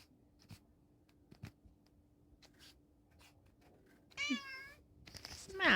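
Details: Vegan cat excited by catnip powder, indoors in Pulford, Chester, Cheshire, England. After quiet clicks and rustles, one wavering, harmonic-rich meow sounds past four seconds, followed by a louder rising cry at the very end.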